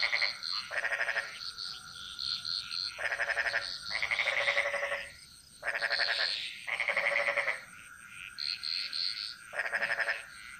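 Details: Bali jungle frogs in full chorus, the song echoing: dense, grating pulsed croaks of about a second each, nearly continuous. Bright higher chirps overlay them, and a steady tonal hum runs throughout.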